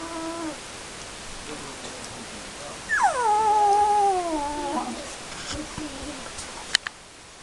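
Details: Nineteen-day-old Airedale Terrier puppies: a long tonal whine that drops sharply then holds level for about two seconds, followed by fainter short whimpers and a couple of sharp clicks.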